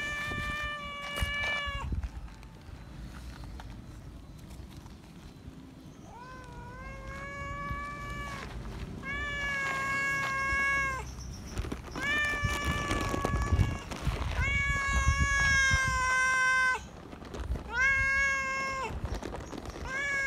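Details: Feral cat that still recognises a familiar person, meowing loudly for attention and affection outdoors; six or so long, harmonic, steady-pitched meows, each about a second, some rising at the start, over low background rumble and rustling.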